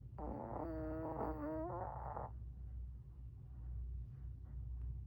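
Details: Puppy asleep under a chair, snoring indoors: a single drawn-out nasal snore with wavering harmonic tones lasts about two seconds, followed by quiet breathing over low room hum in a small room.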